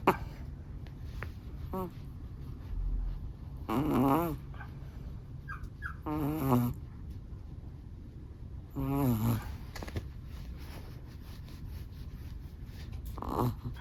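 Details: A Chihuahua snores in its sleep, each breath a wavering, buzzy snort about every two to three seconds, three strong ones in a row with fainter breaths between, in a quiet room.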